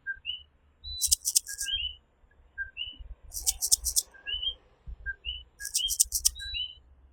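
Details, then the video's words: Night chorus of coquí tree frogs in Puerto Rico: repeated two-part 'co-quí' calls, a short low note jumping to a higher upswept whistle, from several frogs, broken by pulses of shrill high insect trilling over a low background hum. "Coquí Serenade | Authentic Puerto Rico Night Sounds"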